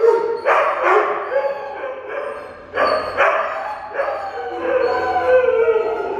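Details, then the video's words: Three dogs, a Husky, a German Shepherd and a Weimaraner, howling together in a spontaneous group song. Long, wavering, overlapping tonal howls rise and fall in bursts separated by brief breaths, with layered voices blending into a chorus. "Husky, German Shepard, Weimaraner random song and dance. Mostly song."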